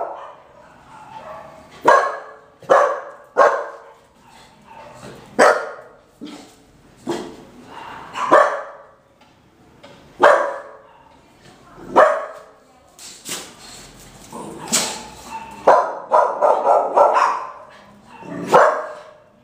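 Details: Five-month-old female Boxer puppy barking: sharp single barks spaced one to two seconds apart, with a faster cluster of yips near the end and quiet background between.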